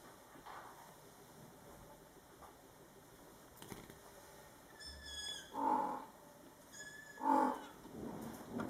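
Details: Scottish Fold mother cat Coco calls to her month-old kittens, born July 22, 2012; two strong, rounded meows about a second and a half apart, preceded by a thin high squeak and set against a faint room hum.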